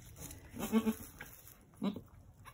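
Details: Newborn Angora goat kids, two red buck twins born on a farm just before sunset on March 7, 2020, give two short, soft, nasal bleats about a second apart against a quiet background.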